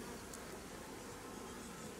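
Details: Honey bees humming around hives during an apiary inspection in fine weather, where drone-laying colonies are being replaced; a steady, dense low drone holds evenly throughout, with no other clear sounds.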